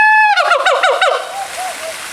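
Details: A siamang at Faunaland Ancol, Indonesia, gives a loud, tonal call that breaks into rapid rising-and-falling wavering notes.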